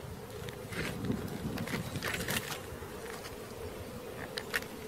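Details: Honey bee swarm being caught: a dense, steady buzzing hum holds throughout, with a band near the low-mid range and scattered clicks and knocks from handling.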